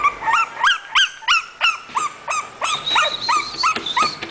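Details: English bulldog offered for sale by a breeder, giving a quick series of high, sharp yelping barks, about three each second, each with a short upward-bending pitch and ringing overtones, with little background noise.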